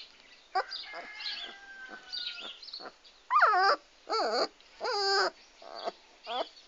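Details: Komondor dogs, recorded 6 March 2016: a run of loud, harmonic barks with wavering pitch, four strong barks spaced about a second apart after softer whines and yelps early on.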